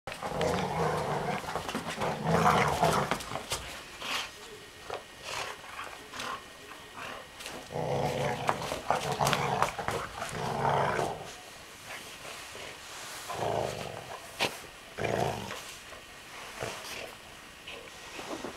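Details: An excited male English springer spaniel growls in rough, rumbling, lion-like bursts with brief quiet gaps while playing with a chicken toy.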